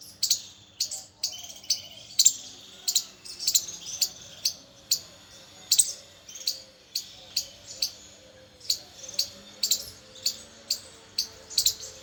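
A squirrel calls with short, sharp, high-pitched chirps in a steady run, about two each second. Faint softer twittering and low background hum sit beneath the calls.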